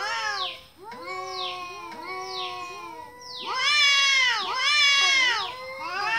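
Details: Cute kitten meow sounds: a run of layered, arching mews, with the later calls growing louder and shriller with strong high harmonics.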